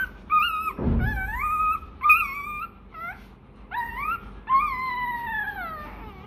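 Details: Rottweiler puppy whining for milk when hungry: long, rising then falling whimpers, some bending upward at the end, about five cries separated by brief gaps, with a dull thump near the start.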